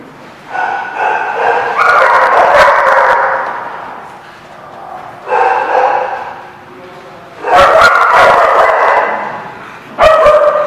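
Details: Dogs barking at a dog lot in February, drawn-out harmonic barks and yelps in four loud bursts separated by short lulls, several dogs overlapping.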